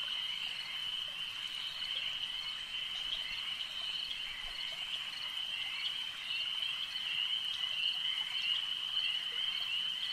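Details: Many frogs trill together at a lake, producing a constant shrill, pulsing drone that rises slightly in intensity toward the end.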